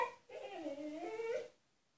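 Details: Husky shut in an enclosure as punishment, calling to be freed: a quiet, wavering whine dipping and rising over about a second, heard faintly in a small room.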